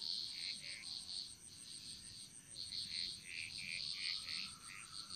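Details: Rapid high-pitched frog calls from a Bali jungle chorus, Indonesia, pulsing about four times a second in a dense overlapping trill, with a steady thin whine above.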